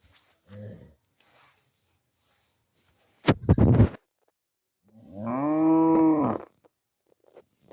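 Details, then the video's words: Cow mooing: after a short low grunt and a loud burst of clattering noise, the cow lets out a long, drawn-out moo, deep and resonant, holding steady before fading at the end. "Cow Sound Effects Mooing Video"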